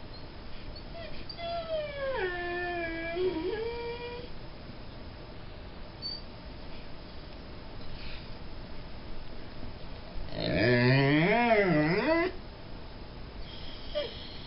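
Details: A half Mastiff, half Great Dane dog whining: a long falling whine dipping low, then a louder wavering, rising-and-falling whine near the end, with quiet gaps between.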